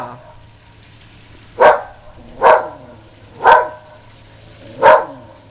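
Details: A female whippet, usually very quiet, barking excitedly at the Goodyear blimp flying over sunny South Florida: four sharp, loud barks spaced about one second apart, with a low steady hum in the background.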